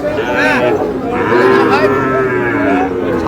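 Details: Sahiwal bull calves at a Mymensingh cattle market, Bangladesh, 7 May; overlapping harmonic lowing with wavering pitch runs through, mixed with crowd chatter and bargaining voices.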